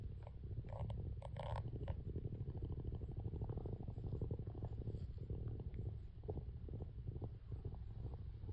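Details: A female calico tabby cat purring while slowly grooming herself and licking between her paws: a continuous low rumbling purr with a fast pulsing texture and faint licking sounds.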